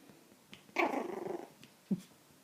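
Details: Milly, a three-month-old Poodle puppy, gives a short rough growl of about three-quarters of a second, with a soft yip before it and a brief sharp bark-like note after it, in an otherwise quiet room.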